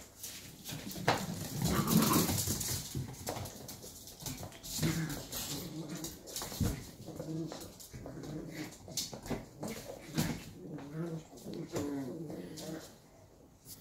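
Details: Two 11-week-old Shetland Sheepdog puppies in rough play, a dense run of low growls and whimpering yips, irregular and overlapping, with scuffling throughout.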